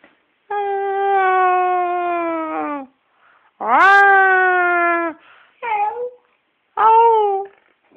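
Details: Oscar the singing dog howls in long sustained tones, each held steady for one to two seconds before dropping off, then gives shorter wavering yowls, all rich in overtones, recorded indoors in a small room with no other sounds.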